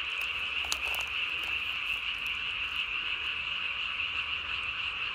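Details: Japanese tree frogs calling at night on 3 May 2020, throat sac inflated to the size of the body; a sustained high-pitched trill drones on continuously, with a few brief clicks and taps early on.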